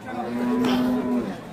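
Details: A cow at an Indian cattle market gives a short, steady, low moo of about one second, with people discussing the animal's age and weight close by.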